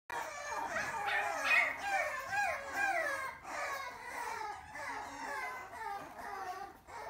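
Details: Small male apple-head puppy whimpering indoors, a steady run of high, thin, wavering whines that rise and fall, each about half a second long and following closely one after another, in a small quiet room.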